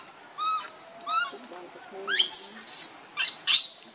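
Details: A baby monkey crying and begging its mother for milk. Two short, rising, whistled whimpers are followed by harsh, noisy screeching bursts.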